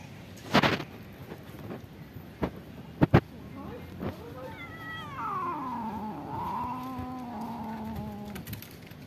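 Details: Black stray cat with eye pain that lives in a pagoda, very hungry but scared of another cat: a few sharp knocks, then one long drawn-out harmonic meow that slides down and holds level for about four seconds.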